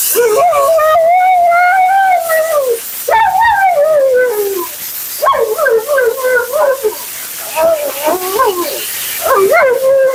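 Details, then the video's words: Dramatic female Siberian Husky named Mila talking through her bath and grooming session: a series of drawn-out, bending moans and whining phrases, some sliding down in pitch, broken by brief gaps and quicker, choppy yodel-like bursts toward the end. "Talking Husky FURNADO Bath and Blowout"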